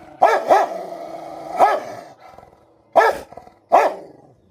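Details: Rottweiler at home, fighting with another dog that hides under a bed: five loud harsh barks, two in quick succession, then three single barks spaced one to two seconds apart over a low growling undertone.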